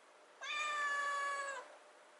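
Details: Rescued kitten, 96 days after being taken in, meowing in front of the fridge indoors to beg for wet food: one clear, drawn-out meow of about a second, steady then slightly falling at the end, in a quiet room.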